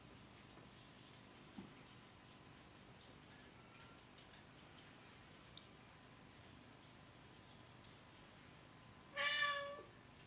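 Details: Oriental or Siamese cat indoors, giving a single short, bright meow near the end after a long stretch of near silence with light clicking and tapping.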